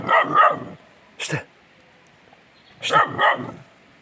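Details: Kangal puppy by a tandır oven barking at itself on seeing its reflection in a mirror: a quick pair of yappy barks, one lone bark, then another pair, all within four seconds in quiet surroundings.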